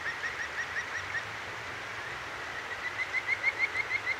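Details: Night chorus of a Kajika frog beside a clear mountain stream in Akigawa Valley, Tokyo, recorded on a ZOOM H6: a few soft chirps, a pause, then a louder run of about eight sharp, rising, whistled notes, all over rushing water.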